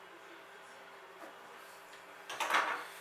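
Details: A quiet indoor room hum, then a brief clatter like a drawer or cupboard closing. No animal sound is heard.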